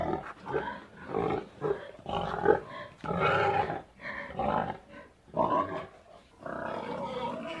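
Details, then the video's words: Pig grunting repeatedly in gruff, rasping bursts of varying length, roughly one per second, with a steady low rough sound near the end. "PIG SOUND EFFECT 돼지 울음소리"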